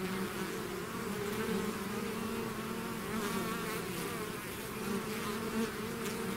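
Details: Bees swarming out of their hive make a thick, unbroken hum, low droning tones overlaid with brief louder passes of single insects.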